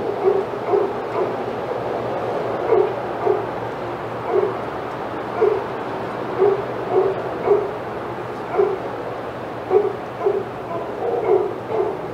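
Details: Senior dogs in the outside yard at Old Friends Senior Dog Sanctuary, excited as another dog, Titus, passes; repeated barks in a steady series, roughly one every second, over a constant background hum.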